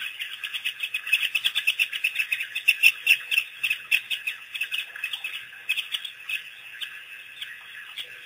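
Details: An African wild dog pack, released by researchers in April 2008, on its first visit to a waterhole gives rapid, high, bird-like twittering chirps in quick irregular bursts.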